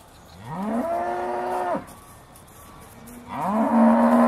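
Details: Aussie Red dairy cows at Beaulands before milking, December 2012: one moo swooping upward into a held tone for about a second, a pause, then another cow's rising, louder moo starting near the end.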